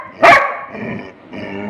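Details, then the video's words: Single sharp bark from Rimi, a pet Labrador Retriever eager for food that is still too hot, followed by soft background noise and faint voices. "cute Labrador fighting for food"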